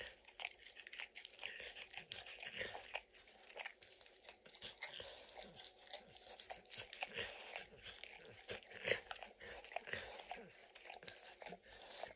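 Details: Emperor Maximillian, called Max, a dog, snacking on peanut butter and kibble in an orange mat. Busy, uneven tongue smacks and small crunching clicks run throughout at close range.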